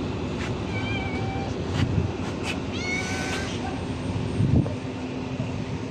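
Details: Friendly stray cat begging while being fed: several thin, bending meows in close succession, some rising then dropping, amid heavy low street rumble and occasional clicks.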